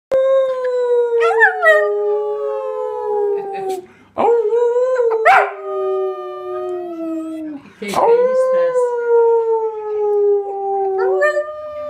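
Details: Jack Russell Terrier in a home compilation howling in long sustained tones with rich harmonics, each howl sliding slowly downward and breaking into brief yips between phrases, three long howls in sequence.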